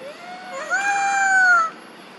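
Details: Mother monkey crying and calling for her missing baby: one drawn-out, tonal, slightly nasal wail lasting about a second, steady in pitch and rich in harmonics, with a short lower lead-in. No other sounds are heard.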